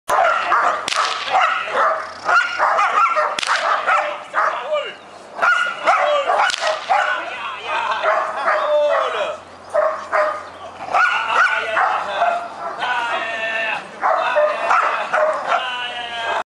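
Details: Six-month-old female Groenendael Belgian Shepherd practising IPO (RCI) training: loud, sharp barks in bursts through the clip with some drawn-out tonal whining, mixed with a person's voice.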